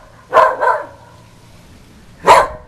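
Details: A usually quiet female whippet barks outdoors at the Goodyear blimp flying overhead, two quick barks, then a single sharp bark after a short pause.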